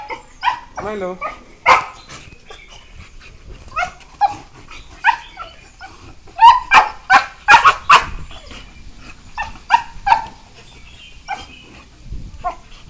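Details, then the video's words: Two young beagles, aged one year four months, yelp and yip while playing together; rapid irregular bursts of high-pitched cries, a tight run of loud yelps in the middle, softer whining notes between. "Beagles playing with each other| Funny sounds| Yelp"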